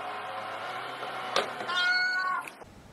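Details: A pet cat lets out a short, bright meow with stacked harmonics after a quiet stretch of room noise and a single thump.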